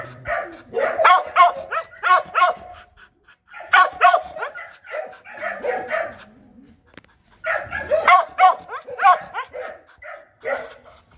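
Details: Demanding barks from a female Mong Coc dog of the Bac Ha line, not a threat: three long volleys of fast, ringing barks separated by brief quiet spells, a few softer lower sounds in the middle.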